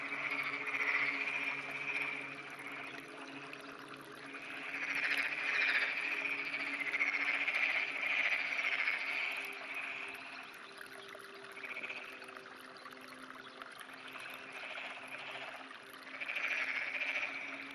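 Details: Croaking from a black-spotted pond frog clinging to an irrigation canal wall on a sunny morning, 19 June 2009; repeated rattling, pulsed croaks swell and fade in several bursts over a low steady hum.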